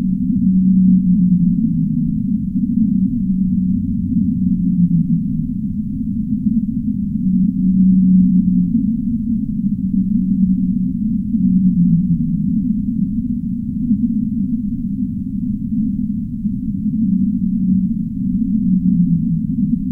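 Whale calls: deep, drawn-out moans that waver and slide, overlapping continuously.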